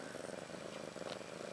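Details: Domestic cat purring beside newborn kittens Maggie and Rose, daughters of Ashley, born March 30, 2013; a buzzy, finely pulsed rumble holding steady throughout, with light hiss and no voices.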